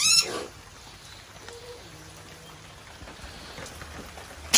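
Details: A captive masked palm civet at a tropical zoo in Kusatsu, Japan gives a brief, sharp, high-pitched cry of irritation, then falls quiet.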